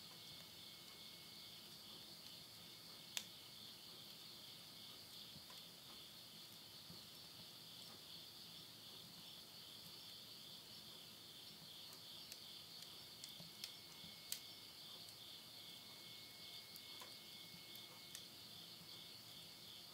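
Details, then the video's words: Insects singing at midnight in the countryside of Yurihama, Tottori, Japan, September 2020: a dense, even, high pulsing trill holds for the whole stretch, with scattered faint crackles from a wood stove fire. "the voice of insects"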